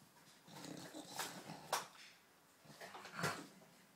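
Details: British Bulldog Phoebe at play with a cow in Australia, giving short throaty growls and a couple of sharp huffs over about four seconds.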